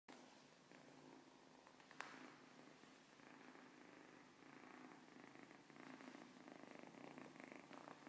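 A Siamese cat purrs softly in a steady, rhythmic rumble that swells slightly toward the end.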